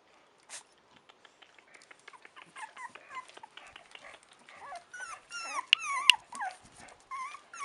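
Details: Chow Chow puppies, four weeks old, start with faint scattered ticks and rustles, then build into a string of wavering, rising and falling whines that grow louder toward the end.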